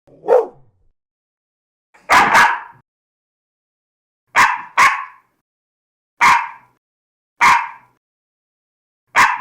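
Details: Dog barking, one of many breeds large and small in a compilation: a short low bark, a loud double bark, then single and paired sharp barks spaced about a second or two apart against silence.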